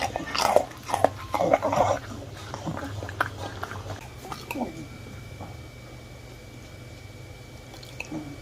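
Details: A 1-year-old Miniature Bull Terrier crunches crispy baked fruit, loud snaps and chewing bursts fading to quiet, over background music.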